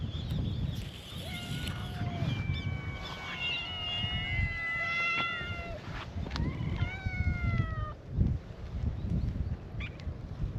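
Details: Stray cats at an outdoor cat gathering on a cat island greet a visitor with a chorus of cute meows: several overlapping drawn-out harmonic calls, some long and level, others short and rising, over steady low rumbling background noise.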